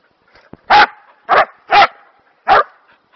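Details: Kerry Blue Terrier barking while playing fetch with a thin stick in long grass; four short, loud, sharp barks spaced roughly half a second apart, with a faint click beforehand.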